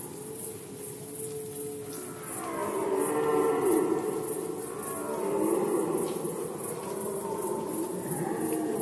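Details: Stags roaring in the 2020 red deer rut in Poland. A deep harmonic bellow swells after a quieter start and sustains with slight rises and falls, while high rhythmic chirping of insects runs in the background.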